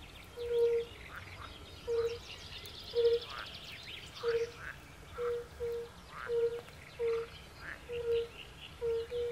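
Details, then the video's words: Fire-bellied toads of the species Bombina bombina at a woodland pond, with pool frogs: a steady series of soft, pure hoots, one per second, beneath loud rattling, quacking frog calls. "Fire-bellied frog | Kumak nizinny | Bombina Bombina"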